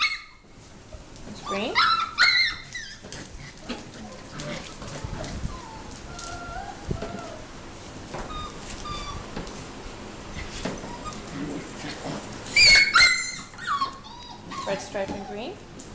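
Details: Mini Goldendoodle puppies, six weeks old, from Biscotti and Leo's litter, at play. Scattered high whimpers and short squeaky whines come in bursts, separated by quieter stretches of shuffling and soft rustling, with a woman's voice in places.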